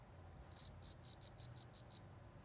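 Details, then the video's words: Cricket chirping in a village setting: a single run of eight evenly spaced sharp chirps, each roughly a fifth of a second apart, over a quiet low hum. "suara jangkrik di pedesaan"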